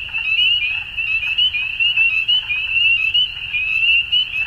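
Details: A dusk chorus of many frogs: steady, shrill overlapping croaks merge into one continuous high band, with rhythmic swells in loudness and a faint low background hum.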